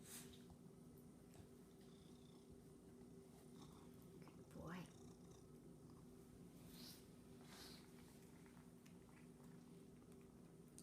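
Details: Rescued Domestic Shorthair cat, apparently named Chelsea, purring while practicing tricks indoors: a faint, steady low rumble throughout, with a person giving commands such as "roll over" and a brief louder sound near the middle.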